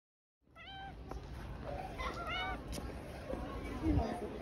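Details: Cat meowing: short, high, thin meows in bursts, a first one early, then a pair of quick rising-falling cries, over steady low background rumble and faint voices.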